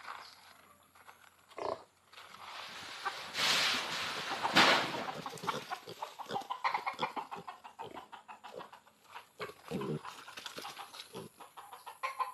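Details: Pigs, including sows, wandering freely outside their pen on a hog farm in fine weather; rough, noisy grunts and squeals in rapid irregular bursts, with a loud rushing burst of noise a few seconds in.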